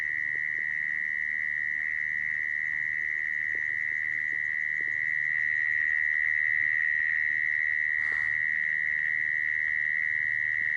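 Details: Mole cricket call used as a lure for trapping mole crickets: an unbroken, steady buzzing trill held at one pitch throughout, with a brief rustling burst near the eighth second and a faint low hum beneath.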